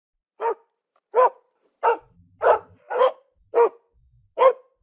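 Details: Dog barking: seven short sharp barks spaced slightly under a second apart, each a clipped harmonic burst, with silence between.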